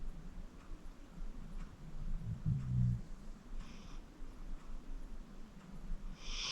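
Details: Deep-sleeping senior pit bull Acorn, 14 years old, gives a single low, rumbling snore in the middle, followed by soft breathy exhales in an otherwise quiet indoor setting.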